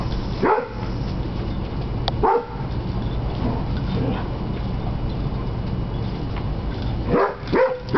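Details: A Basset Hound pup playing with an older Beagle/Basset Hound mix gives short, deep barks and yips, spaced a few seconds apart, over steady background noise.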